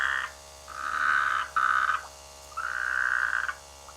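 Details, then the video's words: Rainy-season frogs croaking in village rice fields, giving several buzzy, nasal, mid-pitched calls of up to a second each in quick succession, with a faint low hum in the background. "The sweet sound of frogs in the rainy season"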